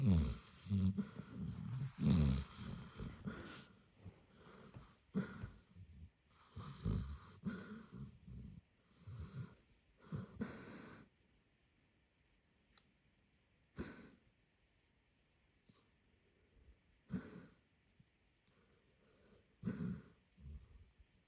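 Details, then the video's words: Basset Hound named Sherlock asleep and dreaming, as if catching rabbits; uneven low rumbling snores and snorts, dense at first, then sparser bursts every few seconds, with a steady high electrical whine behind. "Sleeping dreaming snoring Basset"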